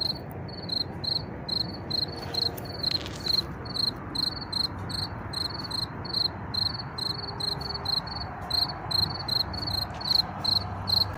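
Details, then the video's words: Hidden field cricket among blue and other wildflowers gives a regular series of short high pulsed chirps, about two and a half per second, while car noise and gusts of wind murmur in the background. "Tücsök Ciripel és Vadvirágok/ Field Cricket Chirping and Wildflowers"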